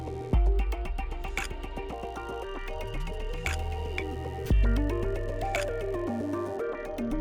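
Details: Instrumental music with steady low bass notes and bright plucked tones plays throughout, and no animal calls can be heard.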